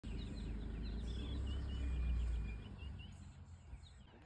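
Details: Two female leopards, sisters, squabbling in the morning: a deep, rough, low rumbling growl swells for about two and a half seconds, then fades, while birds chirp and whistle faintly in the background.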